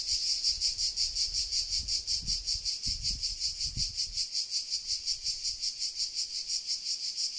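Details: Cicada call recorded in Sardinia at 13:00, July 2020, summer: a steady, high sizzling buzz with rhythmic pulsing near three beats per second, plus a few soft low thumps early on.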